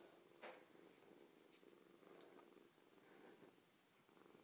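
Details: Friendly rescued foster kitten, a female about eight weeks old, purring up close: a continuous low rumbling drone with slight swells, broken by a few sharp clicks and brief rustling noises.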